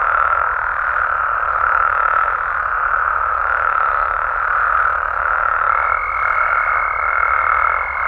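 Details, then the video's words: Nighttime chorus of frogs and toads in Mexico, many voices merging into a continuous buzzing, croaking wall of sound at steady loudness; a faint high whine enters near the end. "Mexican Frogs & Toads Sounds"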